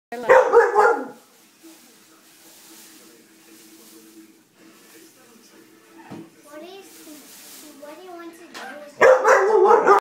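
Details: Labrador Retriever barking at a toy dog that moves by itself using a sensor. Loud, harsh bark bursts open and close the stretch, with quiet murmuring and faint tones in between.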